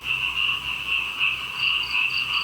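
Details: Frogs fill a flooded rice paddy just outside a house in Indonesia, where paddies are being flooded before the rice harvest, in a dense chorus: a steady, high trilling drone that swells and fades.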